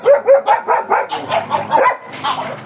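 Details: Black German Shepherd Dog at a stud service in Manaoag, Pangasinan, barking in a rapid run of about a dozen sharp, evenly spaced barks, slightly breaking in pitch toward the end, with faint voices underneath.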